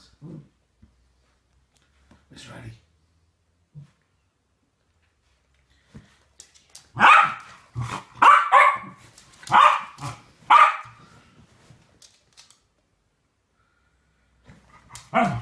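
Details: West Highland White Terriers, two dogs having fun with a game; after quiet moments with faint sounds, a run of six loud, sharp barks comes in the middle, then another bark at the end.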